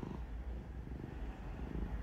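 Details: Black cat Kuro purring during claw clipping, which she dislikes, the owner unsure whether it is stress or contentment; a low continuous rumbling purr fills the short stretch.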